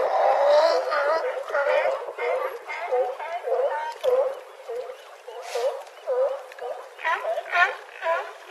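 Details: Group of California sea lions on a harbor dock in Crescent City, California, with wind noise filtered out; rough, hoarse barks come in quick bursts about twice a second, some overlapping, with brief lulls between.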